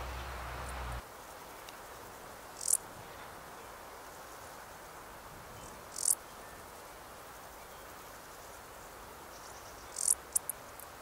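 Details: A male Stal's Saddle Bush-cricket (Lluciapomaresius stalii) gives its calling song, short, high, hissing chirps spaced several seconds apart, in the Sierra de Gredos on 17 July 2019.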